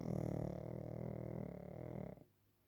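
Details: Pekingese Waffle asleep at nap time, making one continuous low, rattling snore with a slightly wavering pitch for about two seconds before it stops abruptly.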